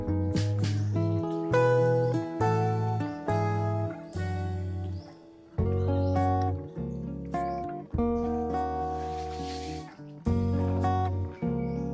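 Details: Plucked acoustic guitar music plays in strummed chords with ringing notes, and no animal voice stands out.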